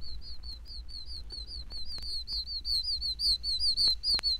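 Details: In Florida, oak toads, tiny toads of pine and oak woods, give high, whistled chirps in a steady overlapping chorus, their breeding call.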